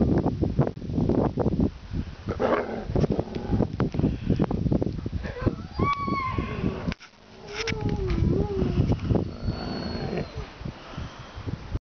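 Alaskan Malamutes make a noisy chorus of deep yowls, grumbles and wavering howl-like calls.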